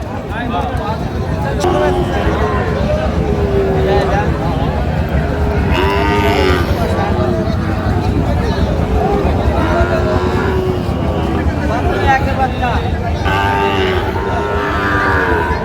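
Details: Cattle lowing at a market where Sahiwal bull calves are traded, Jessore, Bangladesh; repeated sliding moos at intervals through the recording, layered under men talking prices, crowd babble and passing vehicle rumble.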